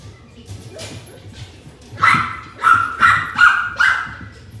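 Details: Maltese puppies, twin sisters born on 5 September, kept indoors; after soft rustling, five high, bright yips follow in quick succession, each a short rising-falling bark about half a second apart.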